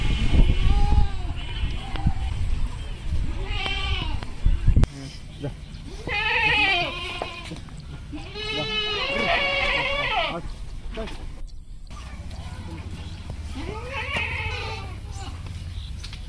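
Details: Domestic goats, a mother and two young kids, on a Padma River char in Bangladesh, giving several wavering, arched bleats spaced a few seconds apart, with a person speaking and some low rumble between calls.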